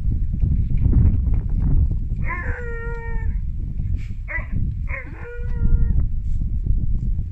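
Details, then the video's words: Siberian Husky puppy at a sled dog centre in Wales, woo-wooing at his big sister to invite her to play zoomies: three short, tuneful, slightly falling harmonic woos over about four seconds, against steady low rumbling wind and handling noise. "SIBERIAN HUSKY PUPPY "WOO WOO'S" HIS BIG SISTER TO PLAY ZOOMIES!"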